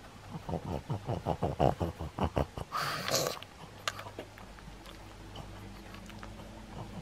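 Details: Maria the pug, filmed on 15 August 2021, snorts in a quick rhythmic run of loud, piggy grunts, roughly twelve in under three seconds, followed by a hissy burst and then quiet indoor room noise.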